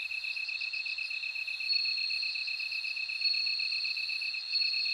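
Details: Bell crickets singing with a rapid beaded trill running the whole way through, topped by a brighter sustained ringing tone and soft repeated chiming pulses; no other sounds intrude.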